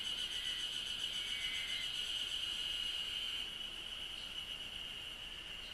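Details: Cicadas chirping in Japan: an intense high ringing drone with fast regular pulsing above it, the pulsed layer fading after a few seconds while the steady shrill tone continues more quietly.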